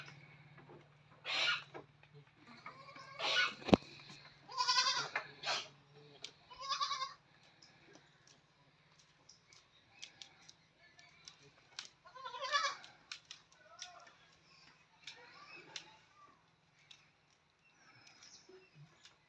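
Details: Goats on a farm bleating: several wavering, harmonic-rich bleats in quick succession, then a quieter pause and more bleats, with a steady low hum throughout.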